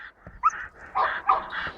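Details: A 5.5-month-old Belgian Malinois puppy named Jano od Argalasov, losing its milk teeth, makes short harsh growling yelps in three quick bursts during play tugging, with faint background noise.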